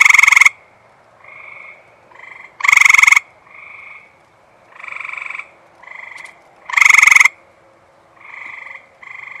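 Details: Eastern gray treefrog at a Michigan reservoir on a warm, humid night (about 73°F, near 100% humidity) just after rain gives loud, short musical trills every few seconds from close range, with fainter frogs of a large chorus answering between.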